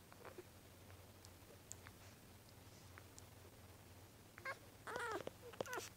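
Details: Two-week-old newborn beagle puppies, two males and two females, indoors in a small room; mostly quiet at first, then a burst of high, thin, wavering whimpers and squeals near the end.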